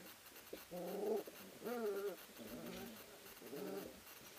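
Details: Ari X Grace pups, three weeks old, wrestling in the whelping house of a sprint mushing kennel: four harmonic whining yelps about a second apart, the second rising then falling, amid soft scuffling.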